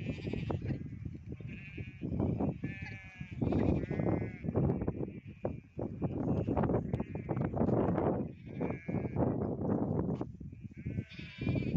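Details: Goats on a village goat and sheep farm, bleating repeatedly over a dense, low-pitched crowd din, with wavering, quavering bleats overlapping throughout and several callers heard at once.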